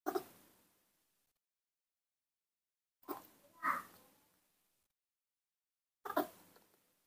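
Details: Newborn baby monkey, hand-reared at home and not yet able to suck from its milk bottle, calling happily at the sight of milk: three short harsh cries, one at the start, one near the middle, one near the end, with silence between.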